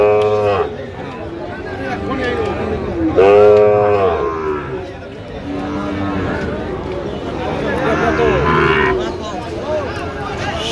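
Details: Sahiwal bull calves at a Rangpur purchase on 5 December: two short, rich moos, at the start and around three seconds, then fainter lowing under steady chatter and crowd noise.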